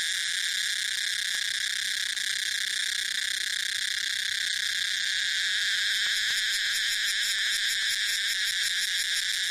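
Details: Tosena albata, the main cicada in a blend of cicada species, gives a steady, intense buzzing drone that turns into a rapid, even pulsing in its final seconds.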